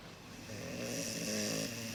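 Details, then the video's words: Snoring of Mugi, a large Cane Corso dog: one long rough breath builds from quiet to a loud buzzing rattle, with a low droning tone and breathy hiss throughout. "大型犬カネコルソ（イタリアン コルソ ドッグ)ムギちゃんのいびき！"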